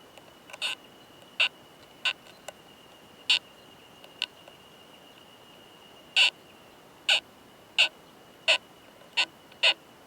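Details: Oomadarakokunusuto beetle pair, male and female, found in a high-mountain pine forest, recorded at close range during mating; the male's sharp, dry clicks come irregularly, singly or in quick pairs, over a faint steady high tone.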